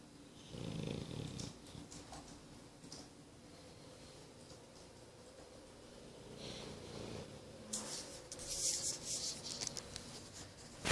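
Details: A nine-month-old English Bulldog snores in low, rumbling breaths, with a few harsher snorting bursts near the end.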